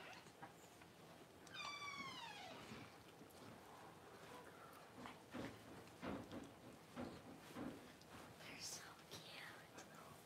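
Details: Amid the whelping of her first two puppies by Paris, a Cavalier King Charles Spaniel, one high, harmonic whine slides downward for about a second, followed by soft whispered human speech and rustling.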